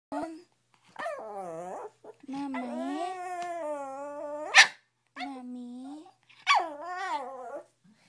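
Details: Female Shih Tzu in the early morning, waking her owner to open the door: long drawn-out whining howls that rise and fall, with a brief sharp yip in the middle, repeated in several phrases.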